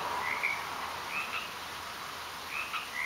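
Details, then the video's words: Garden frogs giving brief, bright chirped croaks in small irregular bursts against a constant low hiss. "Frogs in the Garden"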